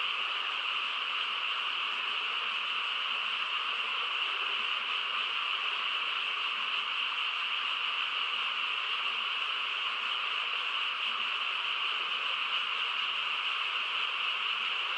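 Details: Countryside frog chorus on a calm night: many callers merged into one continuous, even drone, steady from start to finish with no separate croaks audible.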